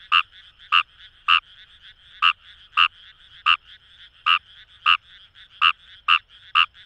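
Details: Paddy-field chorus at Itoshima, Fukuoka, Japan, led by a Fejervarya kawamurai producing crisp, evenly spaced croaks about twice a second, while many more frogs drone steadily behind.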